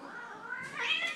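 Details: Two domestic cats, one dark and one spotted, fighting on Thanksgiving; a brief, wavering, harmonic yowl that rises sharply into a higher, strained cry near the end.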